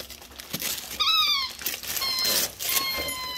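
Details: German Shepherd, a female, opening Christmas gifts indoors, gives high, thin whining squeals: a short arched whine, then a longer, steadier drawn-out whine, with music and paper crinkling behind.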